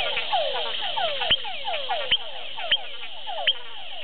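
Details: A frog identified as Leptodactylus wagneri calls at Hato Masaguaral, Guárico, Venezuela, with rapid, downward-sliding chirps punctuated by sharp clicking notes every second or so.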